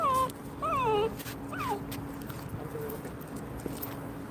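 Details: Simkong, a pet dog on a first outing that leads to a trip to the vet, gives three high, tremulous whimpers with bending pitch in quick succession, then a fainter short whine, over a steady low hum of indoor background noise.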